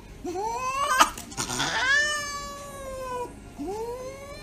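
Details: Cat getting an injection, giving long plaintive meows that climb then hold steady and slowly droop, with a scuffling burst midway and one more rising meow at the end.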